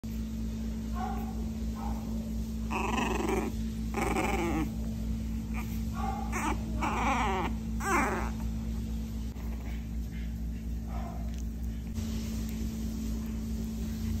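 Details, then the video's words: Jimmy, a grumpy 2-month-old French Bulldog puppy, barking during his first playtime on a couch. Several short, harmonic yapping barks come in a cluster of bursts over a few seconds, with a steady low appliance hum throughout. "Jimmy’s First Playtime: Cute, Grumpy, and Full of Barks!"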